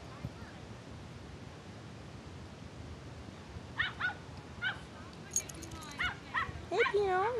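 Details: Yorkshire terrier Pinot Grigio, a little nervous on his first visit to a dog park and not yet knowing other dogs, gives a run of high, sharp yips and short barks in quick bursts during the second half, over background chatter.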